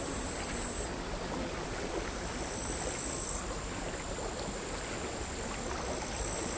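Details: Crickets singing on a sand hill by the sea at Altja in August 2022, recorded with LOM Uši Pro microphones and a MixPreIII recorder; a thin, steady very high trill shifts in strength near one and three seconds over a broad hiss of quiet, chaotic sea waves.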